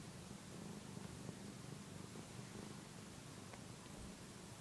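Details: Purring from a one-year-old male cat kneading and nursing on a soft housecoat indoors; soft, rhythmic rumble with light fabric rustling.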